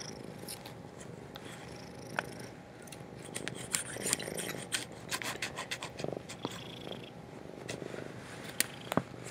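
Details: A frightened house cat purrs steadily into a laptop microphone. The low, rough rumble runs without pause, with scattered rubbing and clicking noises over it.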